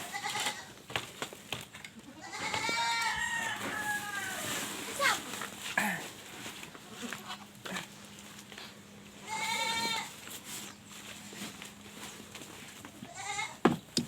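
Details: Several penned goats, shut in because of intense heat, give wavering, tremulous bleats in spaced bouts, the loudest near the start and again later, with a person talking, a steady low hum and background farm noise.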